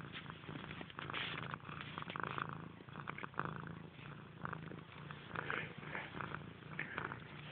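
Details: Domestic cat purring continuously indoors, a low pulsing rumble with rustling bursts overlaid.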